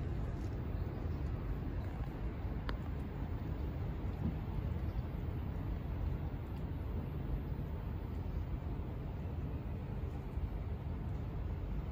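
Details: Outdoor scene dominated by low rumbling wind or traffic noise, with a single sharp click and no animal calls.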